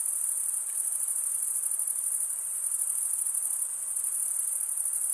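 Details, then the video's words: Stridulating male crickets keep up a shrill, shimmering trill of quick regular pulses, many insects blending into one continuous high tone, without pauses or other noises. "Most relaxing cricket sound for 8 hours"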